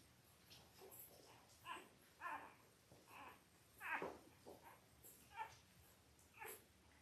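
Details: Newborn Labrador Retriever puppies, five days old, from Belle's litter of five males and three females born October 15, 2023: a run of brief whimpering squeaks about every half second, some with harmonic bands, amid quiet indoor rustling.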